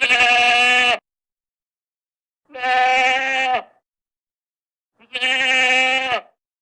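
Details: Goat (Capra hircus) bleats three times, each call a harsh, wavering cry about a second long.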